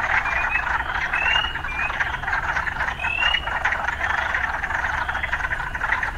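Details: Urban frog chorus with occasional city sounds: a thick, continuous buzzing drone punctuated by a few scattered, sliding chirps, and a faint low rumble underneath.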